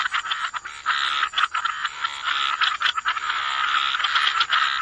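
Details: Wetland frogs in full chorus, grating pulsed croaks stacking into longer rattling stretches, a faint steady high tone behind them.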